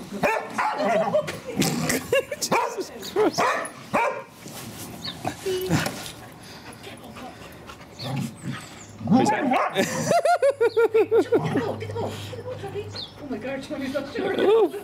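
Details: Daisy the English Springer Spaniel, urging her son and daughter to play, gives repeated high yips and whimpering barks in quick bursts, mixed with a person's chatter and some scuffling noise.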